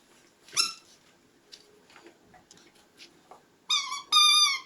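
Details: High-pitched squeals from puppies: one brief rising yelp early on, quiet shuffling, then two loud, sustained whining cries close together at the end.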